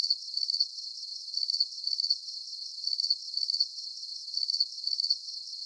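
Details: Cricket chorus for sleep: short, sharp, very high chirps in quick doubled bursts, repeating about every second, slightly less regular here, with a continuous faint high hum of other insects behind them.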